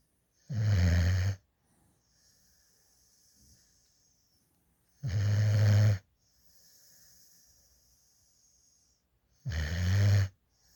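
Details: A female puppy adopted from a rescue at eight weeks sleeps in a lap, drooling with tongue out, giving three deep, rasping snores roughly every four and a half seconds, with quiet breathing between.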